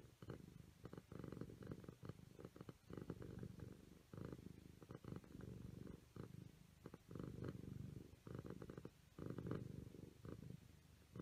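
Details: Siamese kittens at play, purring: a deep steady rumble that swells and fades in rhythmic bursts about every half second to a second, with a few short pauses, indoors and close up.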